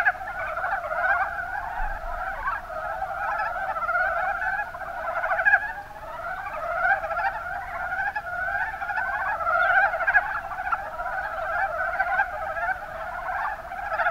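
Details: Mountain brown frogs (Rana ornativentris) in the Kuma Basin, Kumamoto, Japan, calling as a dense chorus: overlapping rapid pulsed croaks, mid-pitched and rattling, forming an unbroken mass of sound with small swells in loudness.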